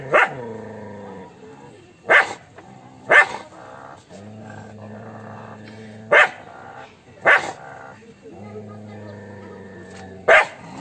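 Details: An angry dog gives single sharp barks about every one to two seconds, six in all, over a steady background of sustained musical tones.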